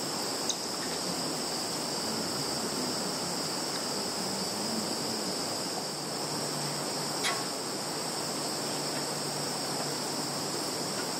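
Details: Steady high-pitched insect shrilling in a field, Zhukovsky district, Kaluga region, Russia, 11 September 2019; the two-layered drone runs unbroken while a couple of sharp clicks stand out, one at the start and one past halfway.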